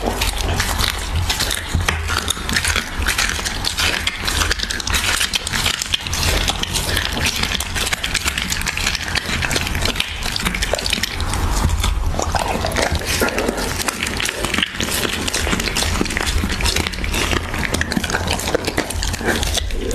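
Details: Husky of the Siberian breed gnawing raw beef, recorded close for ASMR: thick, unbroken chewing with sticky crunches and wet squelches, slightly heavier toward the middle.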